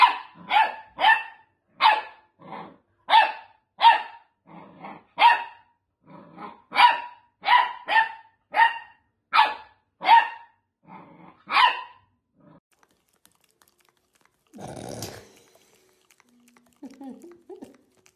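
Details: Dachshund barking in a fast, steady run of sharp, clear barks, roughly two each second for about twelve seconds, some louder and some softer, then quiet with a brief thump and faint rustling near the end.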